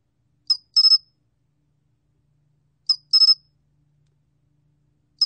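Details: Steady high-pitched chirps of the sol-gwitturami cricket, a 2020 National Institute of Biological Resources recording from Korea: a short lead pulse followed by three quick ringing pulses, heard twice with another starting, background silent.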